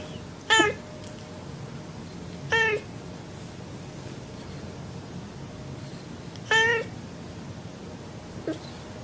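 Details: Domestic cat meowing four times, short harmonic meows at irregular intervals of roughly two to four seconds, each with a brief upward-then-falling shape, the last one faint, over a quiet indoor background.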